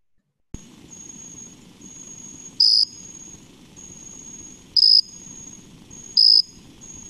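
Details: A jumping bush cricket, a common 'peeper of crickets' of suburban and urban areas in the MD-DC-VA region on warm late-summer evenings, gives loud, single, clear peeps, each a fifth of a second, spaced a couple of seconds apart.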